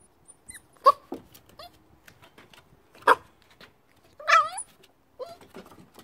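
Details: Hiro, a Corgi puppy, in a tussle with the stairs: a sharp high yip, a second yip about two seconds later, then a longer wavering whimper that rises and falls, followed by softer whines and small knocks.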